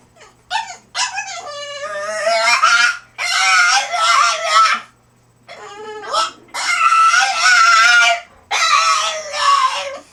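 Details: Crate-training French Bulldog making funny human-like noises: loud, wavering, moaning howls in long sustained bursts, rising and falling in pitch, separated by brief pauses.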